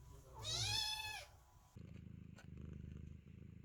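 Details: Kittens meowing at the door while the mother cat gives birth; one long, bright arched meow, followed by a low rhythmic purr-like rumble.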